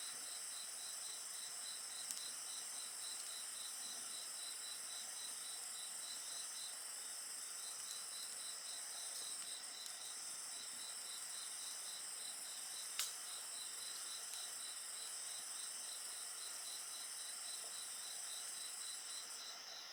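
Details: Steady high insect trilling with a regularly pulsed chirping voice, accompanied by the occasional crackle and one sharp snap from a bonfire.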